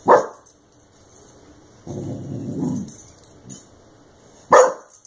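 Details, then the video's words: Clumber Spaniel puppy Brodin barking at a compressed air can after being sprayed with it for chewing its plastic; two short sharp barks open and close the clip, with a lower rumbling, growl-like stretch between them. "Clumber Spaniel Puppy vs Compressed Air Can"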